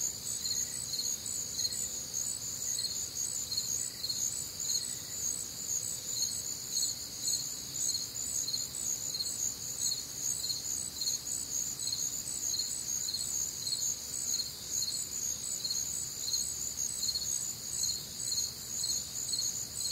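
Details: Crickets and other nocturnal insects on a warm, humid Midwestern summer night, a dense chorus of high, shimmering pulsed chirps repeating about twice per second, layered callers overlapping steadily throughout.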